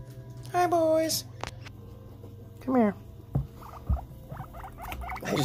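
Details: Pet guinea pig indoors during nail clipping: two loud rising-then-falling squeals, the second short and steep, then soft repeated pulsed chirps, with a man talking quietly.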